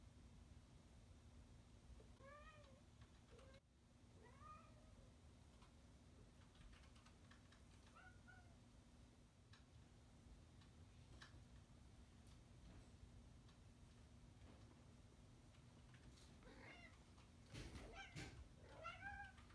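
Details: Male cat indoors, displeased at someone getting between him and the camera, making several short scattered meows, some clipped, amid clicks, rustling and a constant low hum.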